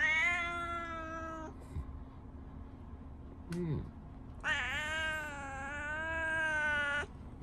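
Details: Indoor tabby house cat calling to its owner in a morning greeting, as if saying good morning: two long drawn-out meows with rich harmonics, each about two and a half seconds, separated by a brief pause with a faint squeak; a person replies softly.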